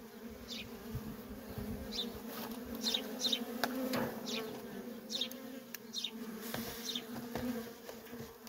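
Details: Continuous low hum of worker honey bees at a feral colony, with busy traffic in and out. The drone holds steady, and brief high chirps and faint taps sound irregularly over it.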